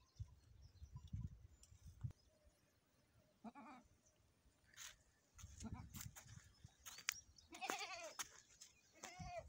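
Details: Goat around a premature birth, bleating in several short wavering calls in the second half, with rustling and handling noises between.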